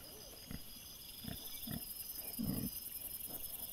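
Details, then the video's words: Wild boar piglets caught by a trail camera on 6 September 2024: short low grunts in separate bursts, one louder rounded grunt near the end, over a steady high insect hum. "CINGHIALI cuccioli - puppies WILD BOAR"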